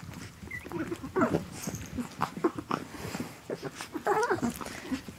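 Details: Twelve-week-old Chihuahua puppies Asher and Indigo playing indoors, recorded December 3rd 2013. High, thin squeaks and whiny squeals rise and wobble in quick clusters, with scuffling between them and a woman's voice talking nearby.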